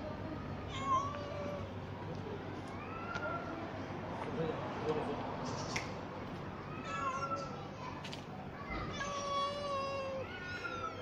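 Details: Active kitten that roams and searches for food while its siblings hide and sleep; several high, arching meows repeat through the recording, some rising and falling, alongside a person's voice and outdoor background noise.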